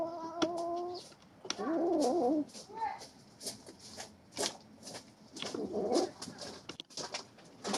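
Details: Kittens around three months old contesting a snake they hunted: a brief steady tone, then two wavering moaning growls about four seconds apart, amid sharp clicks, thumps and rustling.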